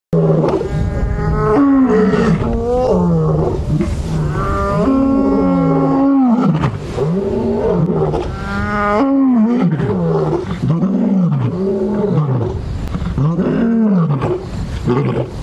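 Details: On a morning of January 26, 2017, three lions roar together in a deep, overlapping chorus of rising and falling moaning calls. A lioness began calling loudly, apparently looking for the rest of her pride, and inspired the others.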